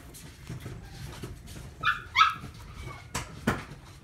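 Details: Chihuahua in an Omihachiman, Japan pet shop: two quick, high-pitched yaps in close succession near the middle, followed by clicks and knocks of indoor handling noise.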